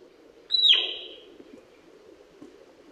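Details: Male sika deer whistling in autumn 2021 in Primorsky Krai, Russia: one sharp, high, piercing note that slides downward into a breathy, rasping tail lasting about half a second, then quiet with a low steady background hum.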